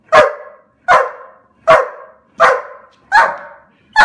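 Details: Black German Shepherd, super excited, barks in a steady series of five loud, sharp barks, one roughly every three quarters of a second, each dropping off quickly.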